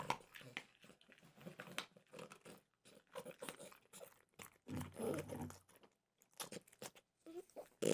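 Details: A French bulldog named Mimosa munches peanut butter flavored dog treats; soft repeated crunching and mouth noises, with a longer chewing run near the fifth second and a sharp sound at the end.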